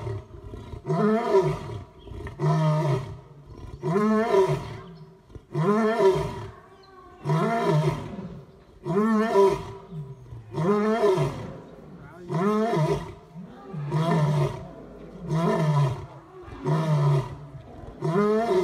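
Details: A male lion roars in a steady series of deep, moaning calls, each rising then falling.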